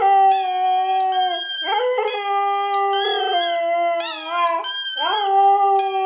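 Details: A two-year-old male Siberian Husky, excited by his squeaky ball, howls in long, sustained, harmonic-rich tones that waver and slide between pitches.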